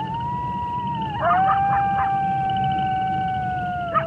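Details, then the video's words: Wolf howling: a long, steady, drawn-out tone that dips briefly, then holds level for several seconds. A second overlapping voice joins, and a pulsing frog or insect chorus trills throughout. "Wolf Sounds"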